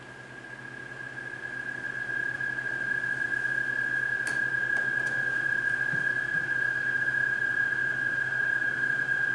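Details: American toads call at night near a stream by a fireside on June 20, 2021, giving a long, steady, high musical trill, the males' mating call, identified with a phone app.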